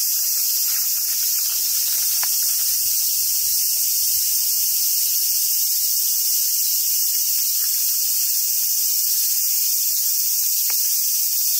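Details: Continuous shrill buzzing of summer cicadas at Awajishima Monkey Center, Sumoto, Japan, holding level for the whole stretch, with a faint low hum and a few thin squeaks.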